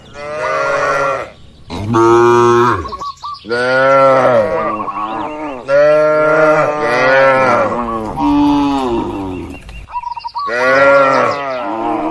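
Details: Dozens of cows in a spacious farm barn, resting and moving about, produce a near-continuous run of overlapping moos of varying pitch, some drawn out and bending. Brief bird chirps are heard in two short pauses.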